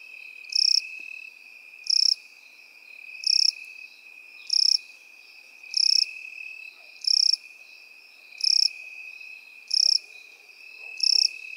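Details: Crickets and grasshoppers in field grass: a steady high continuous trill runs underneath while loud, higher buzzy chirp bursts repeat about every 1.3 seconds, nine in all, with no other sounds.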